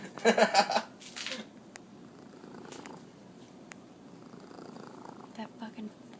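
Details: A female Manx cat gives short chirps over a steady, low rumbling purr while being petted in a box, with people talking nearby.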